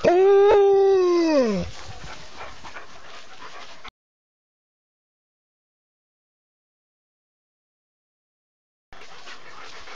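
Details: Alaskan Malamute giving a single long howl, steady then bending downward over under two seconds, followed by a few seconds of soft rustling and then silence.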